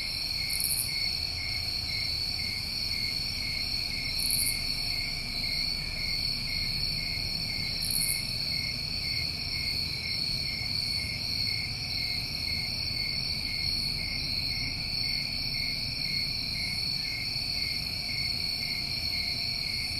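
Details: New England summertime crickets keep up a continuous high, ringing trill at several stacked pitches, with three short buzzy bursts in the first half and soft low background rumble.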